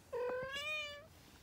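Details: Three-week-old kitten giving a single clear meow, about one second long, high and steady with a slight rise at the end, in a quiet room.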